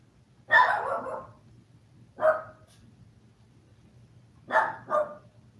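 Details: Toy poodle from a litter of seven 5-week-old puppies, watched live while eating, playing and sleeping indoors: four sharp, mid-pitched barks, one alone, one after a pause, then a quick close pair, over a steady low electrical hum.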